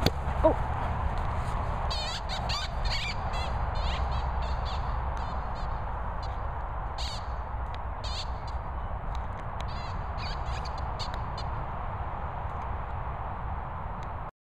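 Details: Barney, a Sprocker Spaniel, squeaking: thin, high-pitched squeaks come in short clustered bursts, with bursts near the start, middle and later, over a constant loud rumbling background noise.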